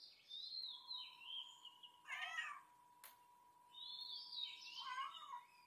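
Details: Cat calling with a brief rough meow near the middle, surrounded by high, sliding squeaky cries before and after, over a constant faint humming tone and a sharp click.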